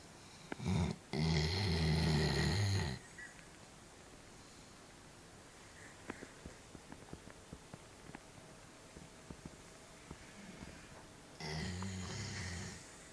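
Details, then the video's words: Sleeping pet dog snoring indoors in a small room: a loud, low rumbling snore for about two seconds, a long quiet stretch with faint clicks and breathing, then another low snore near the end. "Snoring Dog"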